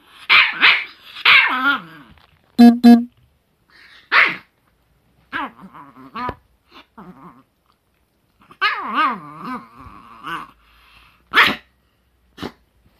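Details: Chihuahua recorded in June 2018, barking in quick clusters, then producing wavering, whiny yelps that bend up and down, followed by more barks and a final sharp yap.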